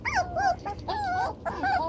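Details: Seven-week-old chocolate brown Toy Poodle pups at play in a pen just doubled in size give a run of clear, wavering whines, each bending up then sliding down, about four in two seconds, over soft background hiss.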